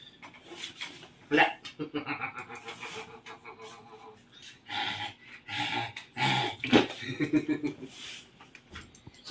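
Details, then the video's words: Siamese cats wrestling noisily indoors at home in the Philippines: harsh, overlapping yowls and growls with wavering tonal cries rising and falling, bursts of scuffling noise between them, and a human voice faintly in the background. "Noisy wrestling ng Siamese cats!"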